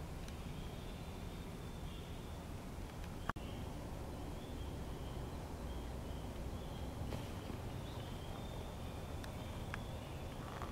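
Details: Several spring peepers near a pond give brief high peeps at irregular intervals, a distant chorus over strong low rumbling; a snapping turtle is heading up to the pond, and a loud knock sounds early on.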